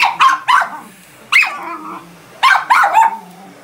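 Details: A female Miniature Schnauzer barks at a vacuum cleaner in sharp, high bursts, some single and some in quick doubles and triples.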